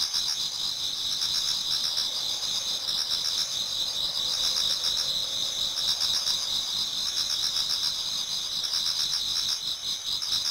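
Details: Japanese garden in autumn, just before dawn, with numerous insects singing together. Two bright, piercing tones hum continuously while rapid beaded chirps repeat about four times a second, rising in brief bursts.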